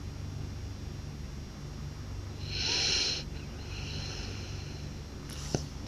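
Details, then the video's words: A blue French Bulldog snores loudly: one hissing, wheezy snort lasting under a second, then a softer breathy tail and a sharp click, over a steady low hum. "หมากรนลั่นสะท้านบ้าน/French Blue Dog Snores Loud"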